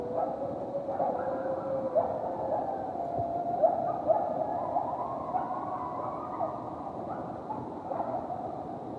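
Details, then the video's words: A coyote pack howling close in a backyard, loud enough to wake someone, several wavering voices overlapping in a steady, quavering chorus. "Coyote Pack Howling CLOSE in Backyard (Coyote Sounds)"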